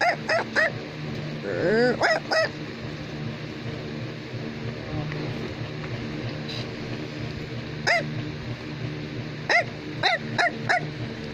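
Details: Bichon Frisé barking in scattered bursts: a quick cluster of bright yaps at the start, then a long lull with a low steady hum, before a brisk run of four or five short yaps near the end.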